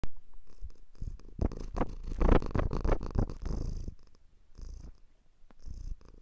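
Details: A domestic cat purring, a low continuous rumble partly masked by loud crackling and rustling bursts in the middle, as if from handling or movement close to the microphone.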